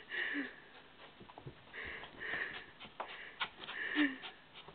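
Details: Nala, a pet dog, sniffing eagerly indoors while trying to get at a gerbil she badly wants; quick runs of short, breathy snuffles come in uneven bursts in a small room.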